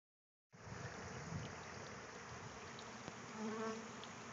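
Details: Bees at a communal feeder, resting and cleaning themselves on potted citrus trees nearby: a steady, dense buzzing hum from many insects, with a few brief higher drones passing close around the third second.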